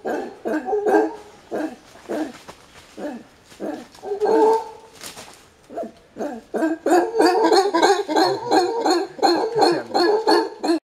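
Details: Alpha male howler monkey in Panama, agitated and warning intruders away from his group's territory. Gruff barking roars come in quick bursts, uneven at first with a quieter stretch midway, then a dense, steady run of loud pulses to the end.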